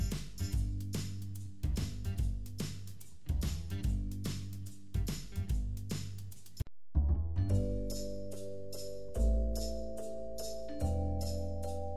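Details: Rhythmic instrumental music with deep drum hits and a repeating bass line, later joined by brighter sustained tones, with no animal voices.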